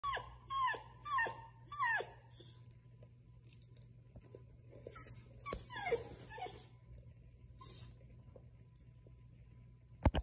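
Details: A Beagle begging for food whines in a room: three high, falling whimpers in quick succession, then quieter scattered whines and soft snuffles, ending with one sharp sound.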